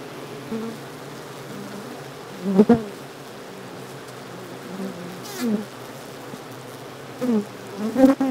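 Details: Open-air Japanese honey bee colony during an aborted swarm with an abandoned queen: a low, continuous drone of wings, broken by single bees buzzing loudly past at close range several times, each pass swelling and fading within half a second.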